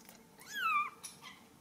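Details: Ragdoll kittens raised indoors without cages at a cattery in central Kansas; one short kitten mew, rising then gliding down, high and thin, with a woman talking softly before and after.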